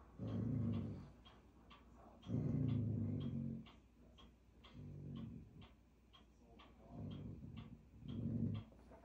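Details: An Alaskan Malamute puppy growls at a carved owl, giving low, rumbling growls in five bursts of about a second each, separated by brief pauses, indoors.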